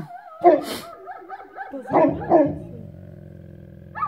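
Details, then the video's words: At sunrise in a Belarusian village, a Newfoundland dog gives a loud bark followed by a quieter whining stretch. Two more barks come close together, then a steady low hum fills the rest. "barks at sunrise"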